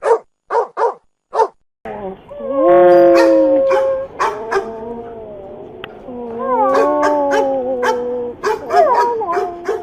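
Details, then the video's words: Dog giving four short, sharp barks, then a pause and long, drawn-out howls with wavering, sliding pitch, broken by a few short yelps near the end. "Dog barking"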